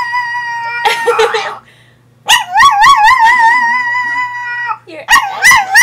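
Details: Sailor, a female Chihuahua kept as a pet, 'sings' with a brief breathy sound, then a sustained, trembling high howl with strong vibrato. After a pause, a shorter wavering howl follows.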